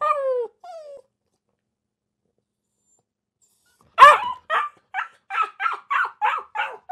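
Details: A dog whines twice in drawn-out, falling tones, stays quiet for about three seconds, then breaks into a burst of sharp, evenly spaced barks.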